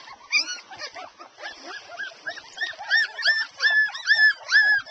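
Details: Airedale Terrier puppies, a litter of twelve two and a half weeks old, nursing: many overlapping high squeaky whimpers and squeals, rising and falling, packed several per second and growing louder toward the end.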